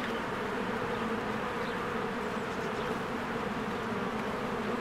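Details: Steady buzz of many bees at a beehive in spring, working and flying in and out: an unbroken low hum that neither rises nor falls, with a few faint, thin bird notes in the background.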